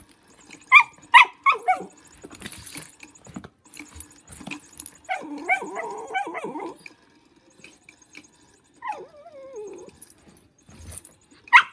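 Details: Pet dog Lulu at play with a motion cat toy gives quick high yips at the start, a long wavering whimpering stretch around five to seven seconds, then a falling whine and a last sharp bark over the toy's faint humming.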